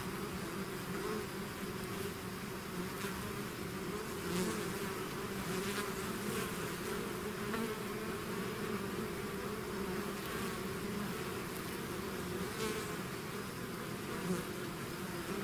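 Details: A honeybee swarm out of its hive makes a dense, steady buzzing hum, many wingbeats layered into a continuous drone with occasional louder bees passing close.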